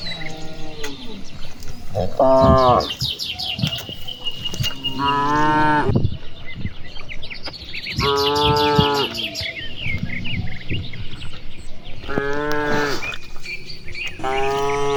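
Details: Several cattle from a large herd grazing and playing in open rice fields in the afternoon, answering one another with five separate moos spaced about three seconds apart, some rough and strained, over steady bird chirping in the background.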